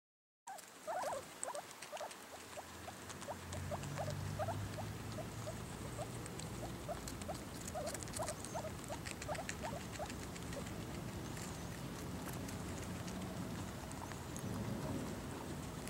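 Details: Baby guinea pigs eating cucumber: a quick series of short, sharp crunching clicks and faint squeaky ticks, several per second and irregular, over a steady low hum and rustling background.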